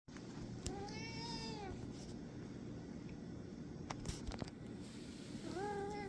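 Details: A tortoiseshell cat gives two drawn-out, arching meows over a steady low background hum; dated January 8th, 2024.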